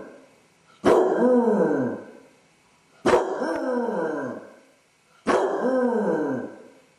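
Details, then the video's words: Lone basset hound indoors with separation anxiety while its owners are away, recorded by a camera set up at home; three loud mournful bays about two seconds apart, each starting sharply, then sliding downward and fading. "Basset hound suffers separation anxiety! Dog howling"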